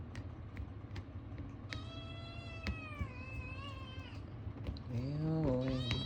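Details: Male Ragamuffin kitten, born 2022, talkative and demanding toward people, making strange noises while asking for food: long harmonic meows, some wavering and drawn out, a lower rising-falling cry near the end, over a low indoor hum.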